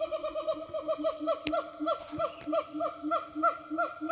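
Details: Siamangs in the forest calling to one another: a steady run of rapid, rising, barking hoots, about four per second, with a sharp click and a constant high insect drone.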